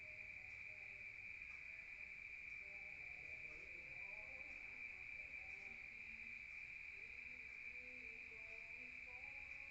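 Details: At night in the countryside, crickets heard from inside a room keep up an even, high, buzzing trill for the whole stretch, with faint scattered low tones beneath.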